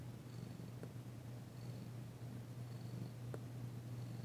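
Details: Short stretch of steady low purring from Danci, a female cat loving her massage and purring for the first time since arriving; two light clicks punctuate the drone.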